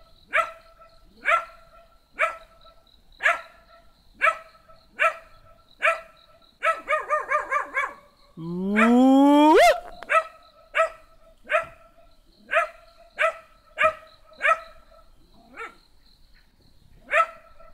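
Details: Small black dog yapping steadily, roughly twice a second, then a fast run of barks and a drawn-out rising howl before the sharp single barks resume.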